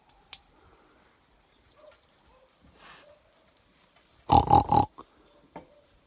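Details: A wild boar, met suddenly at 4:54 a.m. on 26 July 2021 in meadows at the mountain's edge near the village of Pobergje, gives a quick run of three harsh, pulsed grunts after a near-silent stretch.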